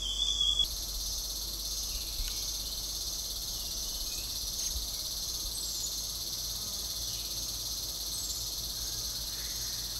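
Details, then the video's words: Cicadas call aloud with a loud, steady, high-pitched shrill drone in a thicket by a stream at Motidhar forest, with faint birdsong from Rufous Sibia and White-throated Laughing Thrushes and a low background rumble. "as cicadas call aloud"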